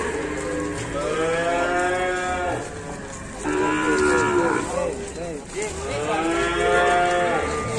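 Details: Wild, fierce cattle at an Indonesian farm: three long harmonic moos in succession, each swelling then fading, with music playing faintly behind.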